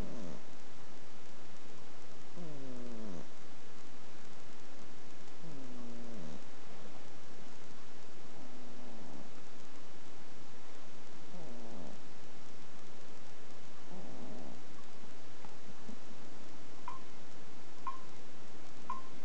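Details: Pet ferret asleep, giving gentle rasping snores about every three seconds, each a brief wheezing rattle, with a few faint clicks near the end.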